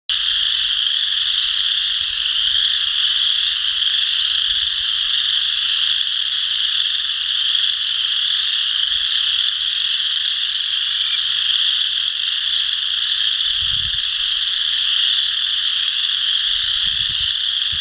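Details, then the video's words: Chorus frogs calling at Potato Creek State Park, Indiana, on March 12, 2016: a dense chorus of high rasping trills merging into one unbroken ringing wall of sound. "Chorus Frogs Calling by Sayre Nature"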